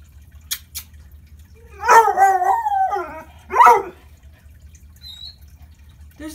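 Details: Six-month-old Bluetick Coonhound howling in protest of the stairs while a person coaxes it down. Two wavering, falling howls, the first longer, separated by about a second, with speech before and after.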